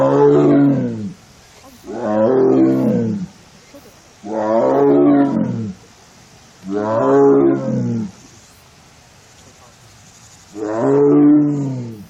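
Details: Korean tiger in heat, a lone female in the tiger forest enclosure of a Korean arboretum, 1 September 2022, repeating sad, rough, resonant wailing cries, five long moans about two seconds apart with a faint hiss between.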